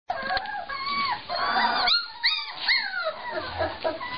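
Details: Cane Corso Mastiff puppies whimpering and whining: a run of high, wavering, tonal cries that rise and fall, some long and drawn out, others short and bent, overlapping one another with brief gaps.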